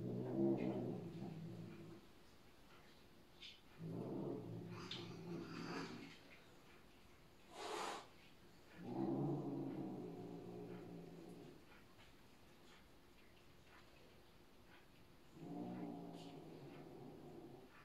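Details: A Bengal cat gives low, rumbling growls in bursts of about two seconds while settling rank order, asserting itself and showing it is the new boss.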